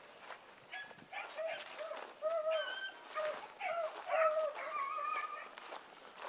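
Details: Several dogs in training, Sassy, Magnum, Ringo and Boone among them, howl and whine over one another in a dense, overlapping chorus of wavering tonal notes, with some rustling movement.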